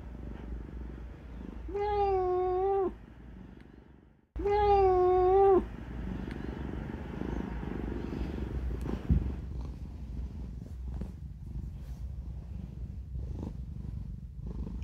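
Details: Domestic cat that hates having its claws clipped, protesting during clipping indoors: two drawn-out, wavering whiny meows about three seconds apart, then a low continuous rumbling, grumbling purr-like sound under handling noises.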